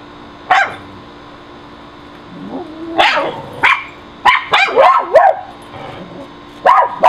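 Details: Pet dogs in a backyard barking at a squirrel on an electrical high wire, recorded with a Nikon D7000 on June 30, 2011: sharp barks and yips in uneven bursts with a whining, wavering note, over a steady background hum.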